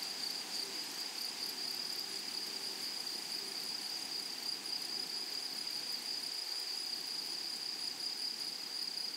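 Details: Meadow grasshoppers among wildflowers keep up an unbroken, shrill high trill, with a softer rapid ticking shimmer above it running through the whole stretch.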